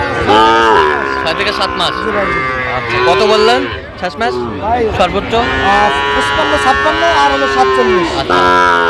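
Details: Sahiwal cattle with Sahiwal bull calves, Comilla, Bangladesh, 13 November: drawn-out, strongly tonal lowing that rises and falls, heard twice across the recording, with people talking loudly over it and in the gaps.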